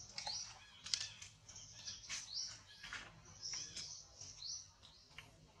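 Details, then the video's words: Thin, high squealing from a very small baby monkey, many short rising notes in quick uneven succession, mixed with a few sharp clicks and faint low background rumble. "MG, Too Small Baby One, Why They Do Like This On Baby Monkey? Pity Baby Monkey."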